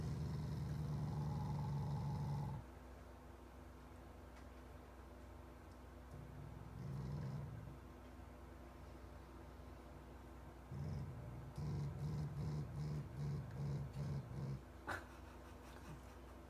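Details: Shiba Inu named Taiga, a family pet, growling affectionately at its owners while pretending to be a pig: low, rough, pig-like grunts, a long drawn growl at the start, then a run of short pulsed grunts near the end.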